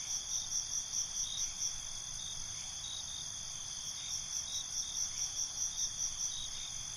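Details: Crickets at night in a binaural recording: a bright sustained trill with rapid pulsed chirp series at the beginning and again toward the end, steady high insect hum throughout.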